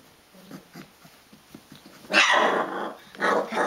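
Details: Rhodesian Ridgeback puppies, day 22, wrestling; soft low grunts and small yips, then a loud squealing yelp from about two seconds and another sharp cry near the end.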